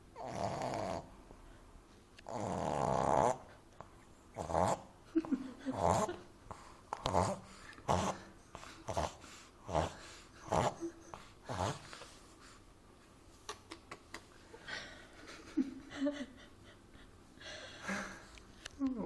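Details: French Bulldog puppy Amy, asleep in arms, snores, chokes on a snore and wakes; a long loud rattling breath early, then irregular short snorts and snuffles, quicker and uneven, fading toward the end.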